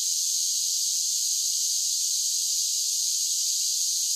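A chorus of cicadas fills the air with a continuous, shrill, hissing buzz. The sound never pauses or changes pitch, forming an even wall of high noise with nothing else heard beneath it.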